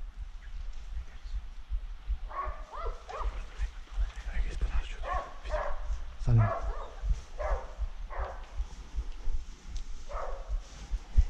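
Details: Scattered dog barks during a wild boar hunt, coming in short clusters a second or two apart amid low rumbling noise, with one sharp close sound near the middle.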